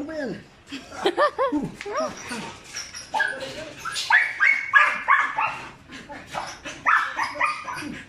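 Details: Belgian Malinois puppies aged five months, brown and black, start with arching squeaky yips and whines, then shift to steady rapid barking, several per second, over people talking.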